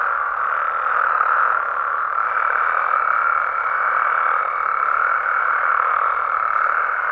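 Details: Frogs and toads calling at night in natural amphibian habitat in Mexico: a dense, unbroken mid-pitched croaking chorus with a faint steady higher tone running through its second half, no other sounds.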